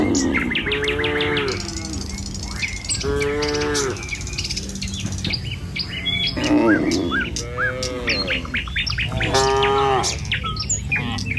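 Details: Morning herd of tame cattle walking a village road to their pen, repeatedly mooing with short, throaty, harmonic calls about every one to two seconds, overlapping lively bird chirps and a low rumble of background noise.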